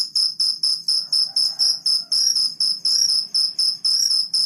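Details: Cricket chirping in the morning; loud high trills in short bursts, roughly two or three a second, evenly spaced, with a soft low rumble behind.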